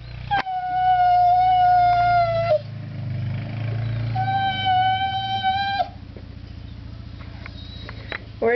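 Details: Border Collies shut indoors during snow plowing, crying because they want to go outside. Two long, steady, high whines of about two seconds each, with a woman's voice telling them they can't go out between and over them.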